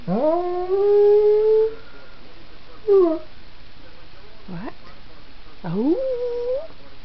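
A Belgian Tervuren dog gives a long, wavering howl, then several shorter rising yelps.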